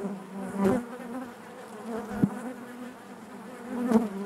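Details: Honey bee hive interior: a steady low buzz from many bees, punctuated by three quick louder buzzes or taps as individual bees move close, the drone otherwise smooth and constant.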